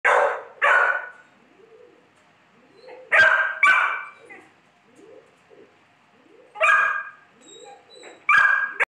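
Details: Two large Pit Bull studs, described as highly aggressive, barking in deep harsh bursts, single and paired barks every few seconds, with a faint chirping bird in the gaps.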